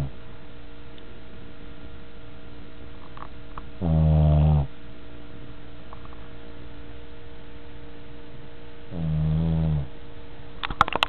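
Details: Pet dog Buddy asleep indoors, giving two deep, resonant snores roughly five seconds apart, each lasting under a second, with near silence between and a faint click at the close.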